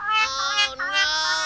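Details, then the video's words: A binturong gives a drawn-out, wailing moan, the sound it makes when sad or feeling threatened. "Oh alah, ternyata ini suara binturong, teman."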